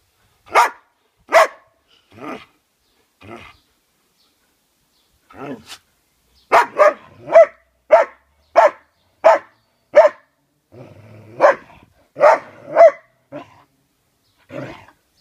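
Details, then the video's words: Pet dog barking in sharp single barks, spaced irregularly at first and then coming roughly every half second in a burst of about a dozen, with a low grumbling sound in between. "Roxy barking!"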